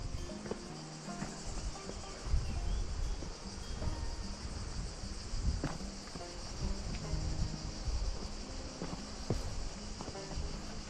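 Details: Cicadas singing along a trail to a small waterfall in the Gorges du Gardon, Gard, southern France. A steady, unbroken high buzzing fills the background under crunching footsteps and low rumbling from walking.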